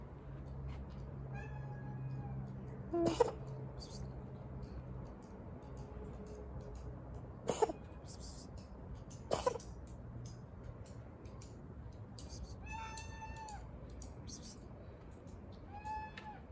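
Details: Stray kitten living on the street coughing: three short, harsh, broadband bursts spaced a few seconds apart, with soft, thin meows in between, over a steady low background hum.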